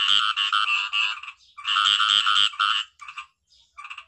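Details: Khiat i-mo frog with two loud raspy croaking bouts of quick pulses, separated by a brief pause, tailing off into short clipped notes.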